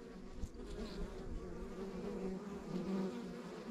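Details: Many honey bees humming at a backyard hive in the countryside, a thick constant drone with a deep rumbling base and faint passing buzzes of individual bees flying close by.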